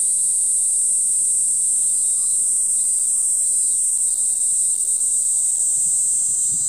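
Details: A Kaempfer cicada sings a steady, very high, shrill buzz that never pauses, recorded 20 July 2016 in Moroyama, Iruma District, Saitama, Japan.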